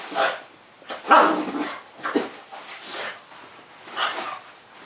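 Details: A pug gives five short, rough barks at uneven intervals of about one second, each a brief broadband burst. The room is otherwise quiet between the barks.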